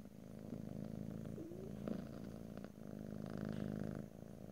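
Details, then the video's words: A pet cat purrs steadily in a deep, throbbing rumble, with a faint short squeak near one and a half seconds and light rustling later; stereo recording without talking. "ASMR Cat: Purring"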